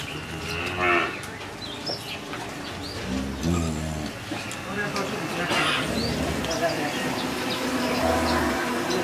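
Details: Jersey cow that has calved for the second time, kept with her bull calf in Bangladesh; short low lowing moos at intervals amid busy background noise, with men talking in Bengali nearby.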